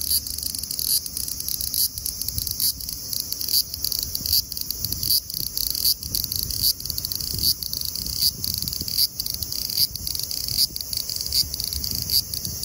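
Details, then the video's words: Graptopsaltria nigrofuscata, the large brown cicada, in lively song at 24 °C (75 °F), a continuous harsh hissing buzz, high and even, broken by quick flickers about once a second. "Large brown Cicada singing lively at 24 degrees(75 fahrenheit)"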